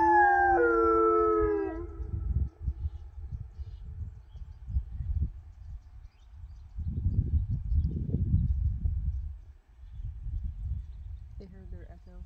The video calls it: Wolf dogs howling AMAZING